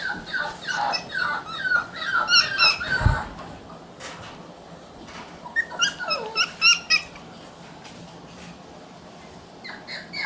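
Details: Red male Shiba Inu puppy, born June 27, giving a burst of high, thin whines and yelps that rise and fall, followed by a quiet gap and then another rapid run of short squeaky cries.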